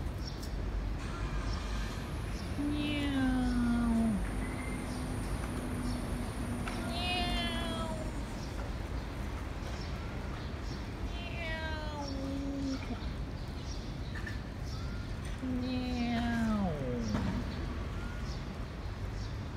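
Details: Domestic cats enjoying cat food, recorded 15/06/2018: a series of long, wavering meows, some rising then sliding down, spaced a few seconds apart over a constant low hum and a faint high whine.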